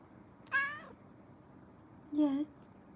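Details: Kittens in a live-streamed cuddle room: one bright, high meow that falls away, then after a pause a lower, louder, steadier meow, with soft indoor background hiss.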